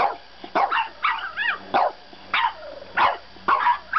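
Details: French bulldog puppy arguing at bedtime: short yappy barks alternate with wavering, rising-and-falling whines, about eight bursts in four seconds, each voiced sound separated by brief quiet gaps.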